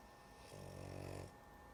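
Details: A drowsy female dog gives a single rasping snore lasting under a second, low and buzzy with a hissing edge, in a quiet room with a faint hum.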